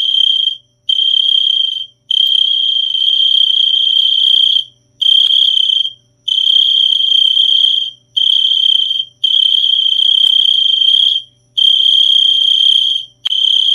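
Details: Cricket giving long, high, steady trills of one to two seconds each, separated by brief silent gaps, about nine bursts in sequence, with a faint low hum beneath.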